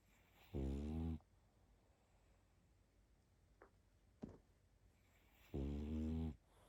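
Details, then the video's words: Pug asleep, snoring in a quiet room; two buzzy, layered snores about five seconds apart, with a couple of faint clicks in the pause between them. "Спящая собака.Храп мопса."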